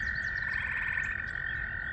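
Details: A dense spring chorus of tree frogs, including spring peepers, at a farm pond full after a day of rain makes a steady, high trilling drone with overlapping pulsed notes. The frogs have just resumed calling after frosty nights.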